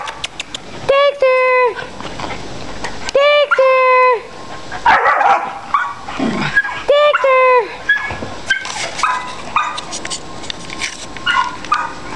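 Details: A long-coat Chihuahua up for adoption gives high, clipped yips and barks in short bursts of three or four, mixed with a woman calling and talking to the dog.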